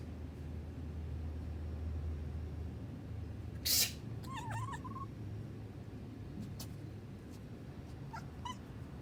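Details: Alana, a young female rescue cat in Hawaii, responds to a human sneeze: a sharp noise burst, then a short wavering chirped meow, rising and falling, over a low steady indoor hum.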